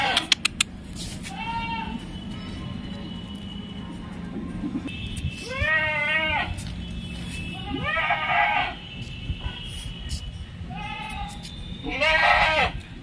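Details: Punjab Barbari nanny goat kept for milk at a home near Naihati, India; four loud, shaky bleats rising then falling, spread over about thirteen seconds, with clicks and faint music in the background.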